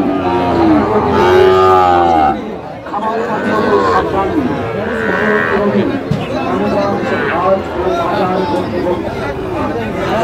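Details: Sahiwal bull calves at a livestock market in Kushtia, Bangladesh, on 24 April 2025; a loud, drawn-out harmonic moo lasting about two seconds opens the recording, followed by overlapping lowing and bargaining voices amid crowd chatter.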